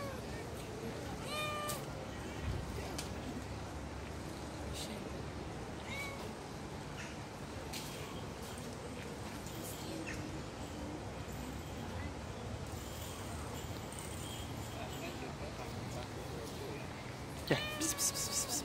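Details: Hungry stray street cats running after a person, wanting food; a few short harmonic meows, one near the start, one mid-way and a louder one near the end, over steady outdoor street noise.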